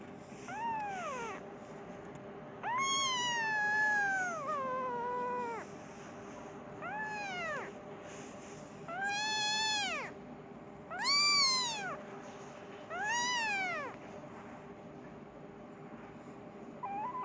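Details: Persian kitten meowing for its mother and wanting food: high, arched harmonic meows, some drawn out and falling, about one every two seconds, with a steady low hum underneath.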